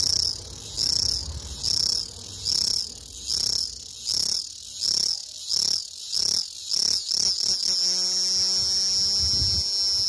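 A cicada sings in loud, high buzzing pulses that run together into a steady drone.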